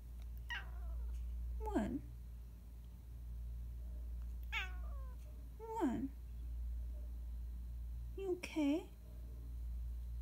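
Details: Female tuxedo house cat 'talking' about her unmet needs indoors; five separate meows spaced about two seconds apart, each sliding downward in pitch, the last one a wavering, trilled meow, with a low hum throughout.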